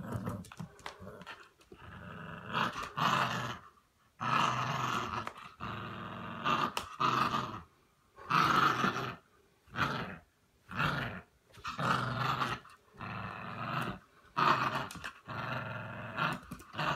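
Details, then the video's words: Staffordshire Bull Terrier giving a long series of rough, grumbling growl-like vocal bursts, around a dozen, each lasting about a second with brief silent gaps between them. "Staffordshire Bull Terrier"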